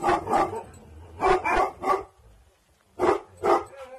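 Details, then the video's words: Bhotia dog Dabu Goli, aggressive bloodline, guarding at night, lets out a few deep, rough barks spaced apart, with a short lull before two more. "Bhotia Dog Dabu Goli|| Aggressive bloodline night Guarding Time||"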